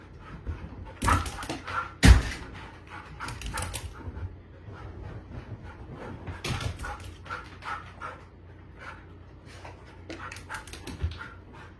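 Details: Pet Siberian Husky asking to go out when its owner heads off to work: soft broken whining and breathy vocal bursts, two louder sharp sounds early on, then quieter intermittent whimpers.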